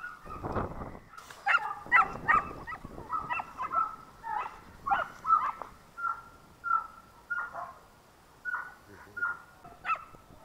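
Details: German Shorthaired Pointer puppies being raised and trained: a string of thin, high, even-pitched whimpers, each short and level, repeated about every half second to second, with a soft breathy noise at the start and quiet background.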